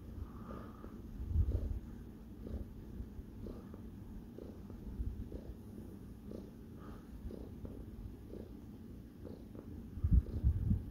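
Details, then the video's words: Sparkles the cat purrs steadily while kneading, a deep low rumbling with regular breathing pulses about three per second and a few louder bursts near the end. "Sparkles Purring and making Bisquits"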